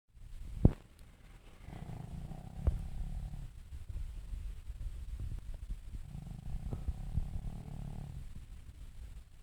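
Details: Sleeping pug snoring: two slow, drawn-out low rumbling breaths, each about two seconds long and roughly four seconds apart, with faint clicks and a steady background hiss.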